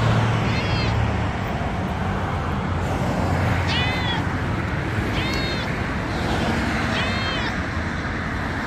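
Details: An injured Dubai cat mews four times, each a brief bent harmonic cry spaced a second or more apart, against constant low traffic roar from a nearby road.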